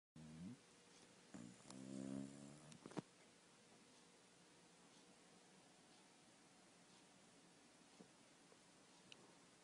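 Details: A sleeping dog snoring; one short rasping snore near the start, then a longer droning snore with layered low harmonics lasting about two seconds, followed by quiet room hiss with faint clicks.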